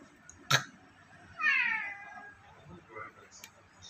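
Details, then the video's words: A playful pet cat making an odd sound: one drawn-out meow that slides downward and fades over about half a second. A sharp knock comes before it, and the room is otherwise quiet apart from faint background noise. "He's giving me weird sound"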